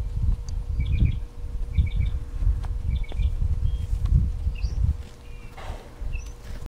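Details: Suriname clown tree frog producing quick triple-pulsed high chirps at about two-thirds-second intervals, then scattered single notes, with a constant low rumble underneath.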